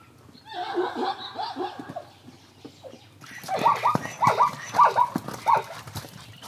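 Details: Wild zebra at a frequented water hole in Kenya, caught by hidden recording rigs: soft low nasal sounds at first, then a loud run of rapid, harmonic barking yelps, each rising then falling, about two per second, in a braying rhythm.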